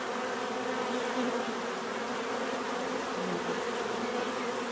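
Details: A swarm of bees produces a steady, thick droning buzz. Several low humming tones run unbroken under a wide hissing wash, with faint passing pitch shifts.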